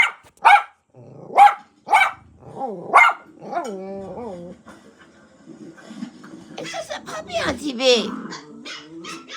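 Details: Pet dog reacting to dogs on television: four loud, sharp barks about a second apart, followed by wavering, whine-like tones and mixed television noise.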